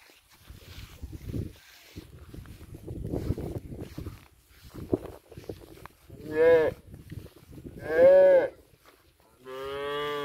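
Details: Mini Punganuru cows at a goshala: after low rumbling and murmured background noise, three short strong moos sound near the end, rich in harmonics, the last one flatter and sustained.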